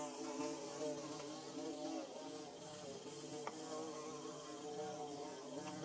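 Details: Steady droning of bees busy building their nest, multiple buzzing pitches weaving together, with a few faint clicks in the background.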